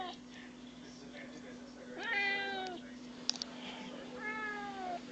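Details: A house cat seeking attention gives two clear, drawn-out meows about two seconds apart, the second trailing downward. A faint click and steady room hum are heard between them.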